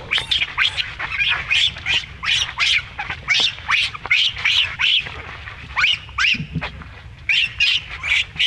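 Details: Baby monkey being mistreated by its mother, screaming in loud, shrill, piercing bursts that rise and fall, repeated rapidly about two or three times a second with brief gaps, against faint low background rumble.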